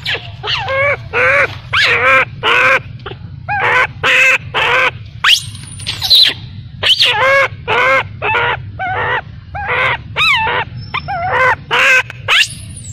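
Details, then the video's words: Abandoned baby macaque, left by its mother, crying heartbreakingly: a long series of wavering, harmonic wails, each under a second, repeated almost without pause, some rising into thin high squeals. "Poor baby monkey was abandoned by mother monkey, crying heartbreakingly"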